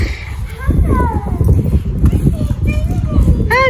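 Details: Waylon, a Mini Goldendoodle, reunited with his owners, gives high excited whines and squeals that rise and fall, with a sharp yelp near the end, over people talking and thumping movement.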